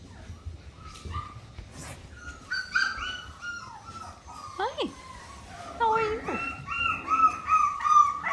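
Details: Miniature Australian Shepherd puppies, 4.5 weeks old, complaining: thin rising and falling whines, a couple of sharp downward yelps near the middle, then a steady run of wavering cries; a woman speaks softly at times.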